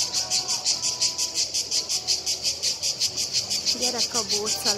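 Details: Cicadas in Split, two seen plus another approaching, give a high pulsing buzz about three beats per second; near the end a voice or other low wavering tones rise over the steady drone.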